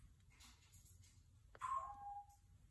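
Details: A single meow that falls slightly in pitch and fades after about half a second, from a mother cat tending and carrying her kitten, over a quiet room hum.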